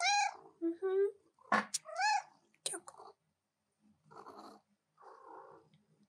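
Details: A pet cat, a she, interrupts keyboard work with several sharp, arching meows in the first few seconds. A person then talks softly back to her while she falls quiet.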